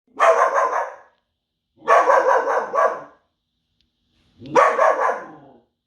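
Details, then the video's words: Belgian Malinois barking hard: three loud, rough, rasping barks, each stretched to almost a second and spaced about two seconds apart, with silence in between. "Extreme Barking | Belgian Malinois"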